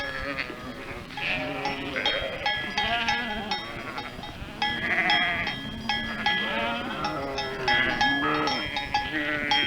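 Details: Flock of sheep with bells: overlapping wavering bleats from many animals, steady metallic bell tones ringing throughout, continuous dense sound with no pauses.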